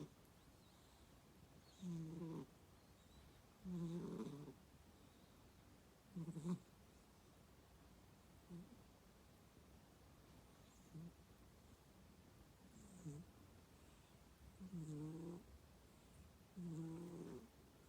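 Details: Cat snoring in its sleep: a run of soft, low, uneven snorts and breaths, some short and some longer, at irregular gaps of about two seconds, quieter toward the middle.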